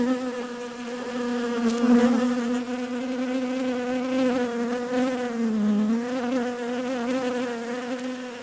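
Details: Bees give an unbroken buzzing drone with layered harmonics; the pitch dips briefly around the middle and rises again, while loudness swells in soft waves.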